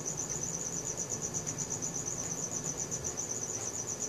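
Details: A cricket calling at night, filmed on a Samsung Galaxy S4; its high, thin trill beats in quick even pulses throughout, over a low murmuring background.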